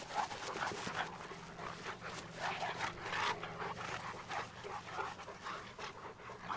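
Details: Cane Corsos Tucker and Nessa during playtime at Numenor Kennels, breathing in fast, airy huffs that come in an uneven stream, mixed with soft scuffs and movement noise.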